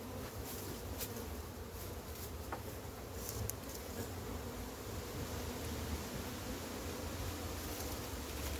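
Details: Steady swarm drone of honey bees as a massive wild hive is caught, a thick low buzzing hum holding for over eight seconds, punctuated by occasional light crackles and bumps of handling.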